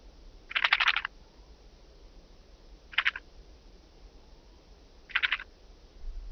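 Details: Oedipoda caerulescens, the blue band-winged grasshopper, recorded in Mörnsheim, Germany, 14 July 2023. Three dry, grating chirps, the first longest, spaced about two seconds apart against faint background noise.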